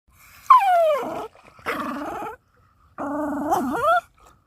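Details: Pet dog tugging a toy, making funny noises: three long, drawn-out, harmonic whining growls, the first starting high and sliding down, the last with a wavering pitch dip, separated by short pauses.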